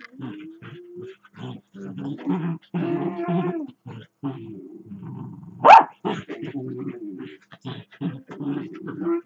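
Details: Dachshunds playing together, one growling and grumbling as it runs around its lying companion: near-continuous rolling, rumbling growls with some higher whiny edges, broken midway by one sharp bark.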